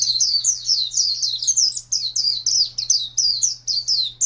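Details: Champion contest white-eye in captivity, singing a rapid, continuous string of high, slurred and twisting chirps with a few tiny gaps, a low electrical hum beneath.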